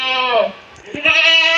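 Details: Castrated male goat, 14 to 15 months old, on a Maharashtra goat farm around Bakri Eid sales; a short falling bleat, a brief pause with clicks, then a second steady harmonic bleat.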